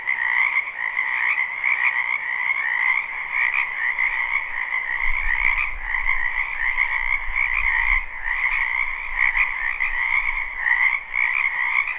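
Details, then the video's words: Large frog chorus in a spring wetland, recorded live: constant pulsing, rattling croaks at two pitches, joined midway by a low rumble for a few seconds, plus a couple of sharp clicks. "Ambient Noise for Sleep Frogs"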